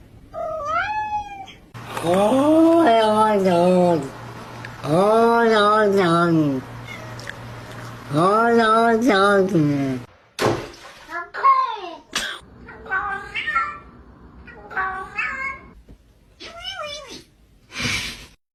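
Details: Domestic cat, from a compilation of funny cat vocalizations: a sequence of wavering, moaning howls, each about one and a half seconds long, repeated several times, then shorter choppy meows and chirps.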